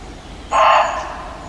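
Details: Reeves's muntjac giving its loud alarm call at Hartshill Hayes country park, Nuneaton, central England, recorded 6 October 2017: a single harsh, hoarse bark lasting about half a second, broad and noisy, over faint background hiss.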